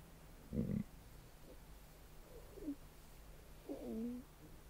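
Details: Adult female Weddell seal asleep, occasionally grunting and bellowing loudly in her sleep: one short, harsh, low grunt, then a pause before two moaning calls that slide downward, the last longest and loudest, over a quiet, steady background.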